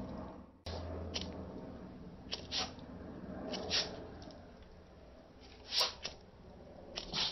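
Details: A dog sneezing when a lighter is pointed at him, indoors in a small room; a few short, sharp, breathy bursts at irregular intervals, the loudest near the end, over quiet room hiss.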